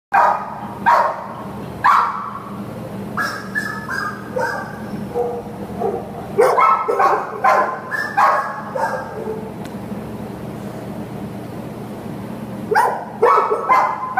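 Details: American Pit Bull Terrier up for adoption at a shelter: scattered loud barks, single and in short pairs, irregular, over a steady low hum, with other barking and clatter in the background.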